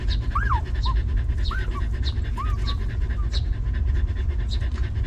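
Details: Panting from a stray mother dog with her litter of puppies, sheltered and fed: rhythmic breathy puffs in quick succession, broken by several thin rising-and-falling whimpering squeaks early on, over a constant low rumble.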